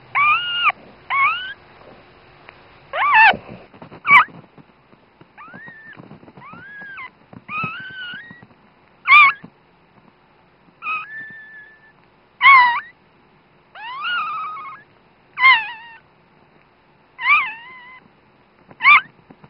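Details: A newborn female Dachshund puppy, her mother's very first pup, gives her first thin, high squeaks and short wavering cries, one every second or two; dated 16.01.10.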